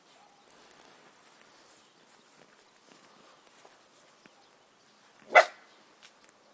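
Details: Miniature bull terrier, a newly acquired pet dog, barking at dogs outside: one loud, sharp bark about five seconds in, after a long stretch of quiet low background rustle, with a faint soft sound shortly after.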